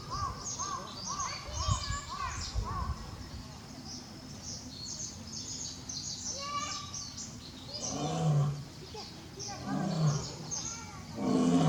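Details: Barry, a male lion at Tobe Zoo, roaring on October 5, 2021 while still calling for Daisy; several deep, rough grunts in the second half, after a stretch of chirping birds and faint voices.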